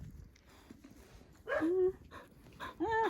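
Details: A grown-up rescue dog gives short, high, tonal whines that rise and then slide down, two brief cries about a second apart, with a woman talking softly in the background.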